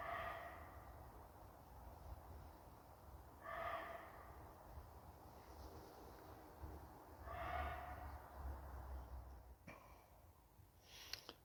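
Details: A deer calling at night around 9 pm during a cold, wet winter camp gives short, hoarse, harmonic barks about every three and a half seconds; it had been calling for 10–15 minutes.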